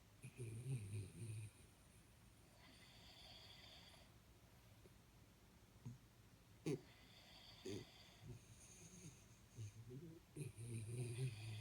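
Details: Jaxie, a sleeping Jack Russell Terrier, snores: low rumbling breaths close together at the start, then a quieter stretch with thin whistled overtones, and further snorting rumbles and sharp snorts toward the end.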